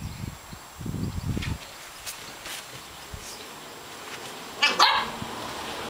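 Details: Welsh Springer Spaniel outdoors during big-ball football training after rain; a quick pair of sharp barks near the end, preceded by scuffling thumps and footsteps on the ground.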